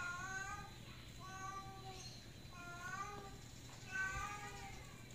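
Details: Stranded on a tiled roof after climbing up, Miko the cat meows repeatedly: four or five wavering, plaintive calls about a second apart, each slightly rising and falling, over a steady low hum with faint human voices.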